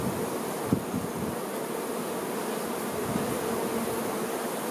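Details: Honey bees, workers caring for the queen, give a constant droning hum with a few soft low thumps and brief rustles over the buzz.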